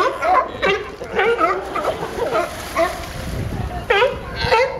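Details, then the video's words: Barking sea lions at Pier 39 on Fisherman's Wharf in San Francisco: short, nasal, harmonic barks in quick uneven bursts, some sliding downward, over a soft background of splashing water. "Sea Lions making funny Sound"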